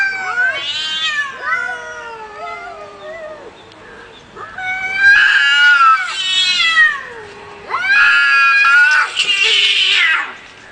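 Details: Cats fighting: drawn-out wailing yowls that rise and fall, swelling into loud bursts around the sixth and ninth seconds, with quieter moaning between.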